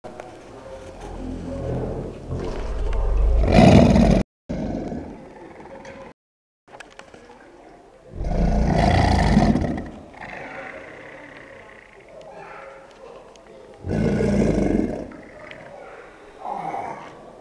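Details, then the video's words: American alligators bellowing at the start of the breeding season: three deep, rumbling, roaring bursts a few seconds each, spaced about five seconds apart, with quieter rustling between and brief cut-outs. "Gator bellowing"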